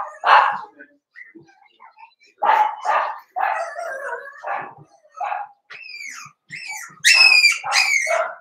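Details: Cavalier King Charles Spaniel puppies, eight of them after Daisy's and Robin's litters are merged, let out short yelps and whimpers, ending in shrill rising squeals, while a person talks in between.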